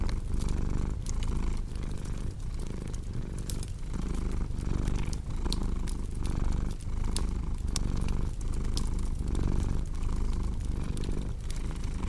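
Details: Cat purring continuously, a throbbing low rumble pulsing with each inhale and exhale at a regular pace, accompanied by frequent crackles and sharp snaps from a fireplace.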